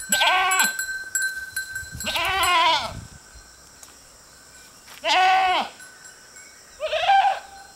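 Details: A herd of goats grazing beside a road give loud, wavering bleats, each about half a second long, with pauses between them.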